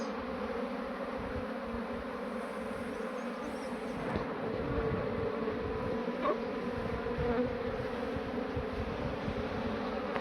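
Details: Honey bee swarm being rehoused in a modern hive; an unbroken mass buzz that grows slightly louder midway, with occasional soft knocks and clicks from handling the hive.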